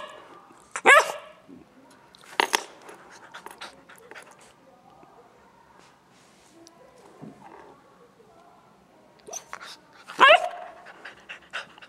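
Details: Nine-week-old gray female Newfoundland puppy lying down playing with a ball; two loud sharp barks about nine seconds apart, a smaller yelp between, with soft rustling and faint voices.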